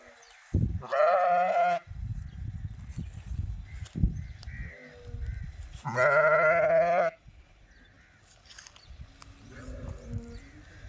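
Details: Sheep bleating loudly twice, each a long, shaky, harmonic bleat of about a second, with rustling and thumping movement sounds between them and softer bleats toward the end.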